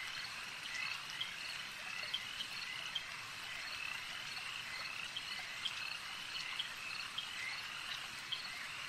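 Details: Chorus of many frogs at a lake, steady and overlapping, made of shrill rattling croaks. Short clear clicks stand out at irregular moments, about once a second, over a continuous high buzz.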